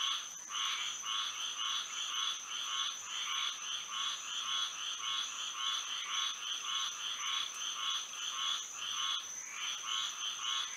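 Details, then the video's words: Frogs in full night chorus in Florida, moonlight overhead. Rapid, closely packed rasping croaks run almost without pause, layered over a steady, high insect-like whine. "A frog symphony to sleep and relax to"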